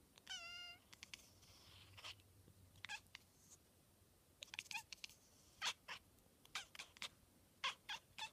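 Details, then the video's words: Domestic cat reacting to a fly with a funny noise: a brief, high, warbling chirp opens, followed by rapid, irregular clicking bursts that grow denser near the end. The sound is soft and close. "Cat makes funny noise"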